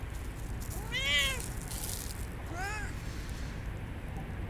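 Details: Siamese cats Otani and Yozora on an off-leash forest walk at sunset in cold winter, near a frozen puddle: two arched, tonal meows, the first longer and rising then falling, the second shorter, over steady outdoor background noise.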